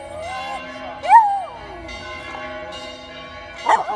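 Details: A pet dog in Vasto howls along with ringing church bells. A single wavering howl climbs, then slides down over about half a second. Steady bell tones hang underneath, and a second bell strike comes near the end.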